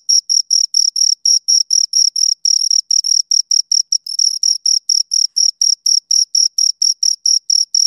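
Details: Crickets, two of them, chirping in high rasping pulses about four per second; the rhythm wavers slightly with a few merged or longer chirps midway, and the background is otherwise silent.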